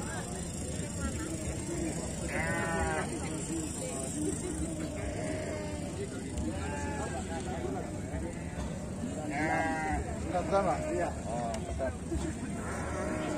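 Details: Exotic-category sheep entered in the 2021 Sakub sheep festival contest in Brebes Regency, Indonesia, giving several wavering, quavering bleats spaced a few seconds apart amid constant crowd chatter and background noise.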